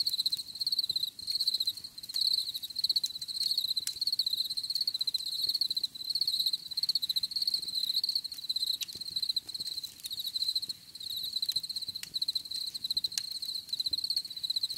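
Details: Continuous cricket chorus, bright high-pitched trilling pulses running almost without pause, slightly wavering in intensity, with a faint higher overtone and light clicking noise in the background.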